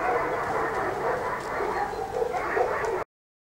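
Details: German Shepherd puppies from a litter born 27 July 2014, two males and four females, out of Iska v. Muikenshof and Eros v.d. Romerau; overlapping high yips and whimpers run together over a steady, noisy background.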